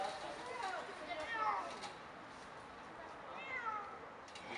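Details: Scared cat rescued from a tree in Bucharest's sector 4, Romania, mews repeatedly in brief bent cries, two close together early and one later, over steady Romanian conversation and low street hiss.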